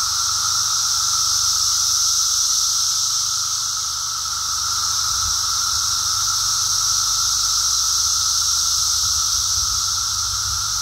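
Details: Emerging Brood X periodical cicadas fill the air on a walk with a nonstop buzzing chorus, a level drone and bright hissing whir gently rising and falling in loudness.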